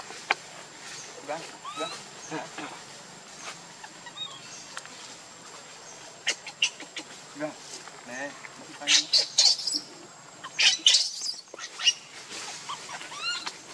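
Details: Hungry infant monkey, Leo, crying for milk from its mother, giving repeated high, curling whimpers that bend up and down, broken by harsher noisy squeals near the end, over a constant faint whine.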